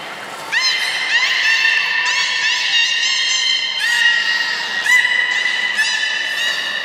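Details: Captive belugas at Port of Nagoya Public Aquarium, Japan, on 16 March 2019, around feeding on fish and the play time after. Steady harmonic whistles, several opening with quick upward sweeps, repeat through the clip over a constant hiss.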